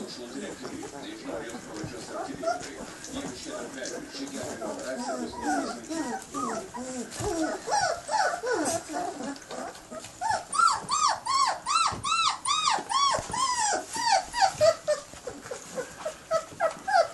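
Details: Bloodhound puppies, 19 days old, whimper and squeal in a busy chorus of rising and falling cries.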